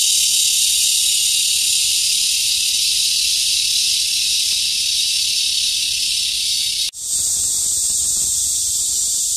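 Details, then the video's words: ['Cicadas singing in summertime from trees with crowded green leaves; a continuous sizzling high drone runs evenly, breaks off abruptly near the end, then resumes slightly thinner.'] "CICADA'S SOUNDS"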